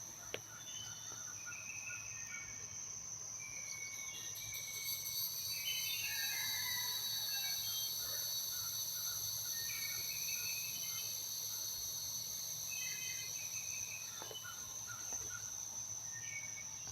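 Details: Cicadas keep up a steady, high, shimmering drone while small birds chirp in the background on a Los Angeles morning.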